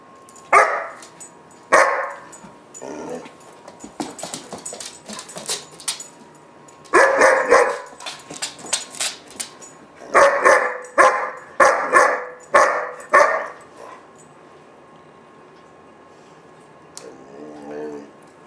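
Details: Temper tantrum by Gunner, a German Shepherd puppy around 4-5 months old: scattered barks and yips, then a dense run of rapid hoarse barks, fading to silence and a brief low whine at the end.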